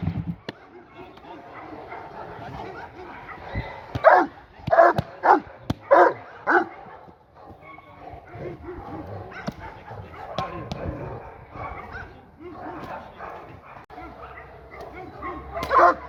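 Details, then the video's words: Seven-month-old working Presa Canario puppy G'Bomba de la Arena during first-ever protection training (Schutzdienst), AVD e.V.; a quick burst of barks around the middle, then scuffling, rustling and occasional voices, with more barking at the end. "Working Presa Canario puppy / AVD e.V. / Schutzdienst / first time ever 7mon."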